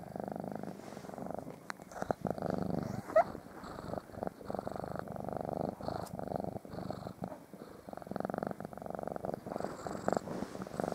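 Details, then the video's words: Morning purring from domestic cats trying to lie on top of their waking owner, with pug dogs in the bed; steady rhythmic rumble throughout, punctuated by a few sharp clicks and rustles. "Snoring purring annoying pug dogs and cats"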